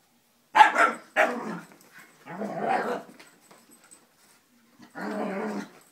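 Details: Wheaten female Scottish Terrier reacting to a fake Scottie, apparently taking it for another dog: two sharp harsh barks in quick succession, then a longer growling bark and a final growly bark after a pause; quiet indoors.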